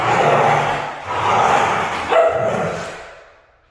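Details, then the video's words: Red female Siberian husky vocalizing in drawn-out, harmonic moans: a long wavering note, a second swell, then a brief sharper rise near the end before the voice fades into silence. "Red Female Siberian husky"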